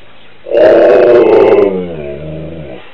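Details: A Siberian Husky, left behind when its owner went out shopping, lets out a strong, harmonic howl lasting over two seconds, loud and steady, then dropping in pitch and softening into a wavering, wolf-like trailing note.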